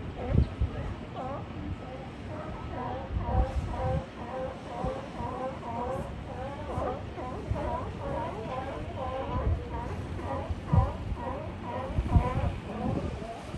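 Sea lions bark and honk in a steady chorus of repeated, harmonic calls over a low rumble.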